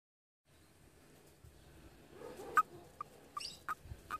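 A frog gives short, clipped mid-pitched notes, repeated about every half second after a quiet start.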